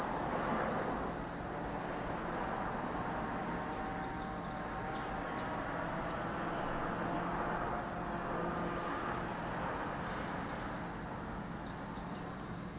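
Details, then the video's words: Continuous shrill buzzing of cicadas by Lake Kamo, Sado City, Niigata Prefecture, Japan, an unbroken high hiss at even loudness over a soft, low ambient murmur. "Lake Kamo in Sado City, Niigata Prefecture, Japan, where you can hear the voice of cicadas."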